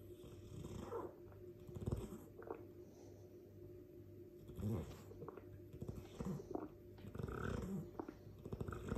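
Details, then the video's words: Sleeping Dogue de Bordeaux snoring: low rumbling breaths in irregular bursts, a few louder snorts roughly every one to two seconds between quieter stretches. "Dogue de Bordeaux - This video is for all that don’t know mastiffs snore loudly ."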